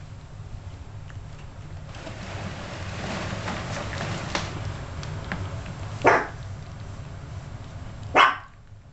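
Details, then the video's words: Yorkshire Terrier puppies at 32 days old give two short sharp yips late in the recording, after several seconds of low rumbling background noise and faint clicks. "Yorkie Puppies"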